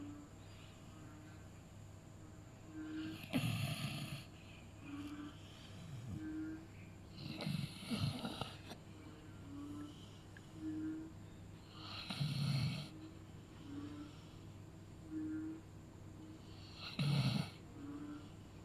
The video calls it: Beagle snoring sound